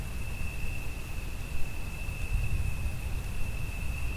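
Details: Continuous shrill cricket trill at one fixed high pitch, accompanied by rain and thunder that make a dense, booming low roar beneath it throughout.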